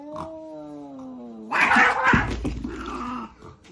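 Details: Fighting domestic cats: a steady, slightly falling moaning yowl gives way abruptly to an explosive hissing screech and scuffle, then a lower growling wail trailing off.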